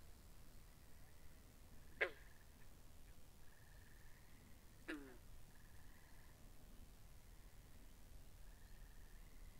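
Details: Frogs by a pond in a binaural recording: two sharp, loud plucked calls about three seconds apart stand out over a faint, steady chorus of short buzzy trills repeating in the background.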